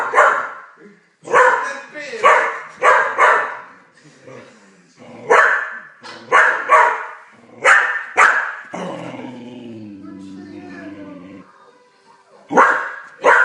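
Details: Blue heeler, an Australian Cattle Dog, barking at the television; sharp barks in quick bursts of two to four, with pauses between, over Italian narration and a low growl-like sound from the TV.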